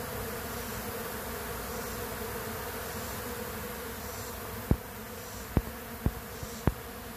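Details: Honey bees robbing a weak queenless colony; steady dense buzzing hum, with four sharp clicks or taps near the end over the continuous drone.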